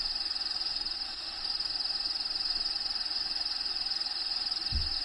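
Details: Within a bearded dragon's vivarium, feeder crickets keep up a bright, continuous pulsing trill, fast and even, with a short low thump near the end and a background of played habitat ambience.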